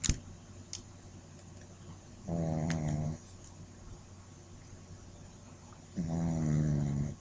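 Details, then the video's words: A sleeping Shih Tzu puppy, dreaming, lets out two low, buzzy snores near one second long, spaced roughly four seconds apart, against a quiet indoor hush with a few soft clicks. "puppy snoring"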